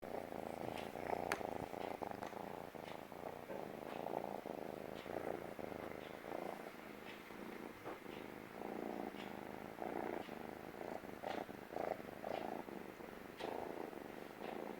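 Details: Stray kitten purring loudly while sitting on a lap for the first time, feeling safe; steady rumbling purr in rhythmic pulses throughout, faint clicks and rustles, quiet indoor setting.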